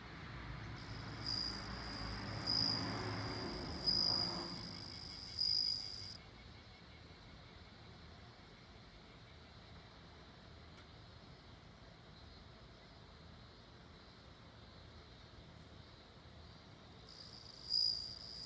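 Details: Bell cricket singing: a high, clear, ringing trill in pulsed bursts through the first six seconds, returning briefly near the end. Quiet stretches between the bursts carry a steady low rumble of background noise.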